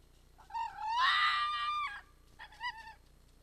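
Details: A red fox gives a drawn-out, harsh rising howl ("u-u-waa"), then a shorter second cry, as it arrives calling at a restaurant plaza in Iizuna, Japan, in the evening around 18:10 on 4 December 2020.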